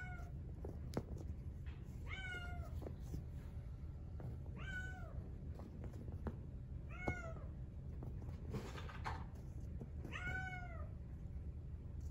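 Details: Male Exotic Shorthair kitten in brown tabby and white, born 4/6/2021, gives four bright, thin meows, each rising then sagging in pitch, spaced a couple of seconds apart, with a brief rustling noise between them and low background hum.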